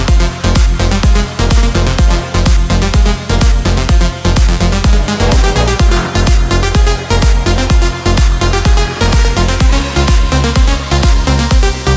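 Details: Loud electronic dance music with a fast, even, pounding beat fills the whole stretch, with no animal sound heard.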